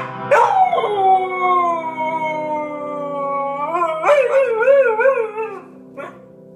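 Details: A dog sings with a piano ditty, having banged her head on the keys to get it played; a long howl falling slowly in pitch, then a wavering vibrato howl and a short yip at the end.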